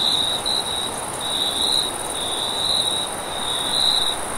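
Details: Crickets chirp steadily at night in a vast wheat field, in high, shimmering pulses over a soft rush of wind.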